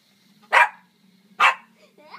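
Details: Shih Tzu giving two sharp, short barks about a second apart, followed by a faint whine, against a steady low electrical hum.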